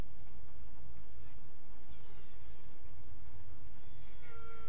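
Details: Honey bee queens piping inside a hive at midnight on 27 June 2016, with steady tooting and quacking tones over a low hive hum.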